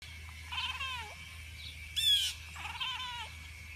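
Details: Pet cat watching birds, making soft not-quite-meow chirps, apparently to get their attention: two quivering, falling chirrups a couple of seconds apart, with a single bright bird chirp between them over a steady low hum.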